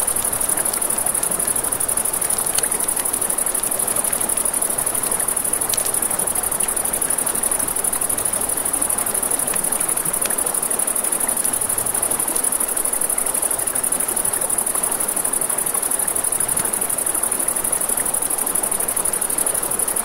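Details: Continuous thin high trill of crickets after dark on a riverbank, beneath which a river flows with a constant rushing hiss and a campfire gives scattered crackles.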